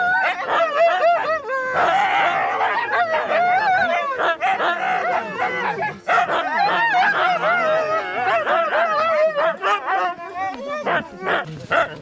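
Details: Pack of 21 Siberian Huskies at a dog manor holiday centre 35 km outside Tallinn, Estonia, during a hiking visit: a dense, continuous chorus of overlapping yips, barks, whines and wavering howl-like cries from many dogs.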